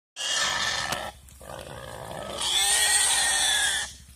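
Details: A wild boar being caught by a Komodo dragon gives two long, harsh, high-pitched squeals separated by a brief quieter pause.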